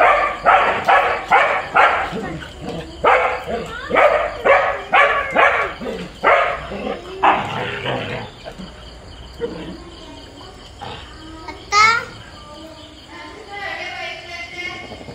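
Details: Two pet dogs in Kerala, India, a husky and a border collie, fight with each other. A fast run of about a dozen loud, rough barks fills the first half, then quieter sounds and a brief high whine follow.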